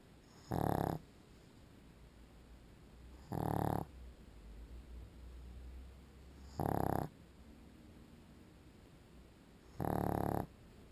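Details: Sleeping pug snoring steadily: four loud, harsh, low-pitched snorts, each under half a second, repeating about every three seconds against a quiet background.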